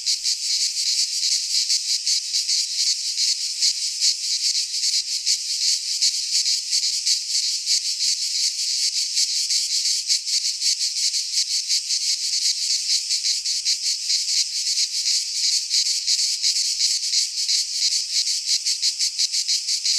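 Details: In a Greek pine forest at midsummer, many cicadas sing together in an unbroken, high rasping drone with fast, slightly uneven pulsing; nothing else is heard.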